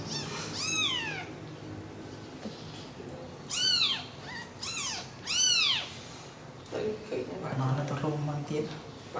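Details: Newborn kittens huddled together after milk cry in a cluster of high, arching mews, a couple in quick succession, while people talk quietly and low household noise fills the later seconds.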